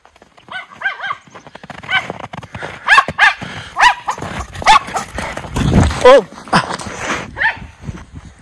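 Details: Miniature Schnauzer brothers Lucky and Levi, off leash and frolicking in winter snow in Aroostook County, Maine, January 2023: a run of high, arched yelping barks, at first quick and paired, then spaced about a second apart, with laughter and talk.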